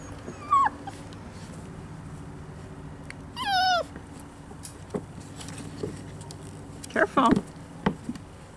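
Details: Five-week-old Poodle puppies playing outside and learning about new sounds: high, thin whining yelps with falling and wavering tones, one long quavering whine near the middle, then a cluster of short yips toward the end, over a steady low hum.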